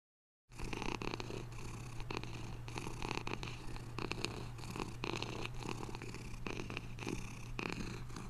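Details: Domestic cat purring steadily: a continuous low rumble with rapid, even pulsing and a faint rasp on each breath, starting after a brief silence. No other clear sounds.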